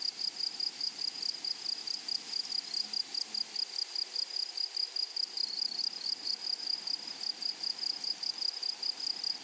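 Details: Continuous high, shrill pulsing from grasshoppers in a flowery prairie meadow, about two pulses per second riding on an unbroken buzz, with a quiet insect chorus behind.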